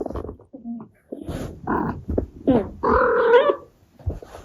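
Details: Abyssinian cat. An Abyssinian mother cat talks to her kittens in a string of brief chirps and grunts, then a drawn-out, wavering meow. Soft, murmuring sounds fill the pauses between calls.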